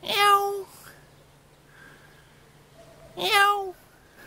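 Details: Cats keeping watch in a vegetable garden in Jeonju, Korea: two loud, bright meows about three seconds apart, each held half a second, with soft faint calls in between over a low steady hum.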